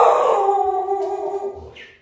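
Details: Family dog indoors vocalizing in the background as a delivery arrives: one drawn-out, steady tonal howl-like note that holds its pitch for about a second and a half, then fades, with a brief high squeak near the end.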